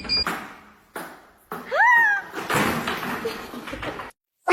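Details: Cat meowing amid household noise: one short arched meow, rising then falling, framed by door thuds and knocks, with brief speech nearby.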